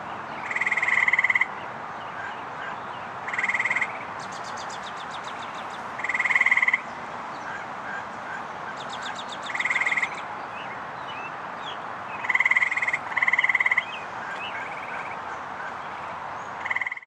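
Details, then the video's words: Fowler's toad giving short, nasal, buzzy bleats, repeated every few seconds, at the North Burial Ground, Providence, Rhode Island, in May–June 2013. "Toad and Frog calls"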